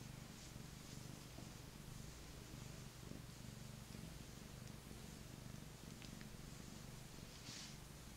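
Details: A male Maine Coon cat, an affectionate rescued lap cat who loves petting and cuddling, purrs steadily in a low continuous rumble with a gentle rhythmic throb.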